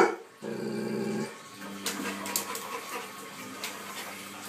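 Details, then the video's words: Ten-month-old pet Labrador Retriever, scared of and angry at a running washing machine indoors, growling low and steadily, with a brief rough vocal outburst over the hum and clatter of the machine. "Labrador scared of washing machine!"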